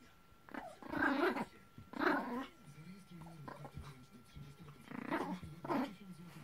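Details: Two Maltese dogs playing tug with a rope toy indoors: bursts of rough, throaty growling about a second long, at roughly one-second and three-second gaps, with quiet pauses and faint background sounds between.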